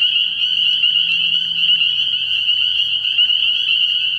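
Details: Spring peepers calling at night from a frog pond early in the year; a dense, unbroken chorus of high, piercing peeps forms a steady shrill wall of sound, with a faint low hum beneath.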